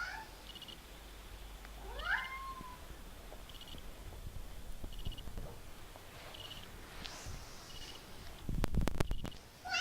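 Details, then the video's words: Kitten giving one of its odd noises: a quick upward-swooping chirp that bends into a short falling whine. Faint high chirps repeat in the background, and loud knocks and handling sounds come near the end. "Our Cat Mickey Makes Hilarious Noises"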